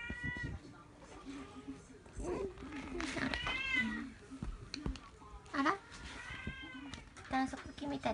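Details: Munchkin kittens at forty-three days old; several thin high mews with bending pitch, repeated in short bursts, alongside a steady low hum and soft background speech.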